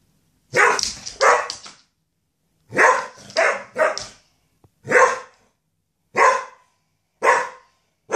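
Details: Dogs at a country doggy daycare barking excitedly during a slumber party as a box of tennis balls is emptied above them: loud, sharp barks, a quick double bark, then a cluster of three, then single barks about once a second.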